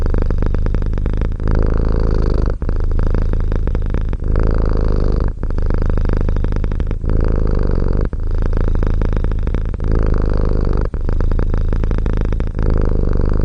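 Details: Domestic cat purring up close: a loud, steady low rumble that breaks off briefly about every one and a half seconds as the breath turns, with no other sounds.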